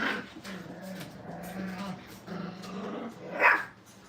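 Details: Brittany puppies being trained in a crate inside a kennel give a drawn-out, steady, low whine. It wavers for several seconds, then a brief sharp yelp near the end.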